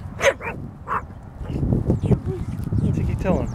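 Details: Chihuahua on the attack, barking at a huge dog across a creek about half a football field away. A few sharp, high yapping barks open the clip, then a man's voice and rumbling background noise take over.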